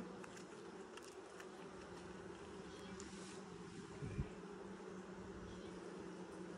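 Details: Honey bees in a hive opened for its first inspection in 2020, six days after the nucs were installed; a steady low droning hum with a stronger lower tone and a fainter overtone, continuous throughout, with a brief soft knock near the end.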